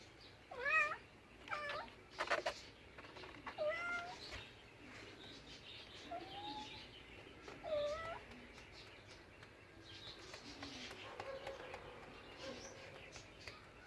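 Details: Pet cat giving several short, bent meows spaced a second or two apart, some rising then dropping, over quiet room noise with faint background sounds later.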